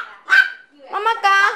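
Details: Super tiny micro teacup poodles, a Hong Kong pet family with Alabama roots, produce two quick shrill barks, the second a longer, strained yap with a nasal, whining tone.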